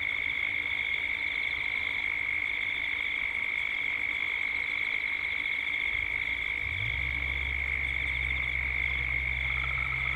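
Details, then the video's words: Dusk cicada chorus from Gippsland, Australia: a continuous piercing high whine with a faint rapid pulsing layer, and a low engine-like hum rising in steps near the end. "Cicadas at dusk"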